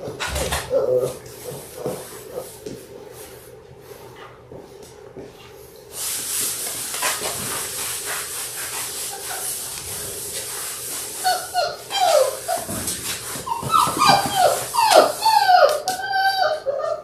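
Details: Six-week-old Labrador Retriever puppies from a litter of six born January 18, 2022, filmed indoors on a live puppy cam on February 28. Faint squeaks open the recording, then steady rustling, then a run of high, wavering whimpers and squeals near the end.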